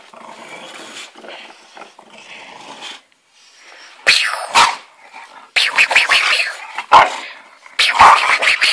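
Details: An English Bulldog attacking tiger-patterned slippers gives harsh, rasping growls and snorting barks in loud bursts, with a quieter start.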